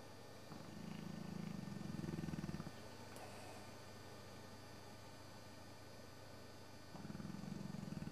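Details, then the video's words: Sabre, an old English Bullmastiff, asleep one Sunday afternoon with jowls flapping, gives a deep, fluttering snore lasting about two seconds, then a long quiet pause before another rumbling snore starts near the end. "Sabre the Snoring Bullmastiff"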